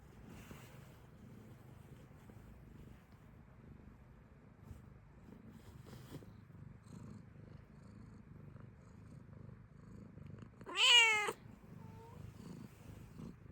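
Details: Domestic cat likened to a fennec fox letting out one loud, bright meow late in the recording, preceded by quiet room noise and faint rustles, with a soft brief sound just after.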